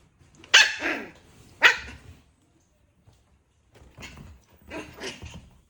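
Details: Puppy gives two sharp, loud barks about a second apart, falls silent for roughly two seconds, then makes softer, rough grumbling noises.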